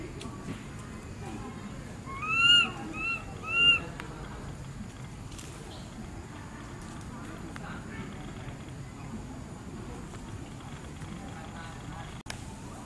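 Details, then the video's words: Baby monkey Berry, very tiny, crying loudly for its mother after Beaker moves away; three clear arched, harmonic wails in quick succession near the start, then a quiet background with faint rustling and soft murmurs. "Baby monkey Berry crying loudly for mom"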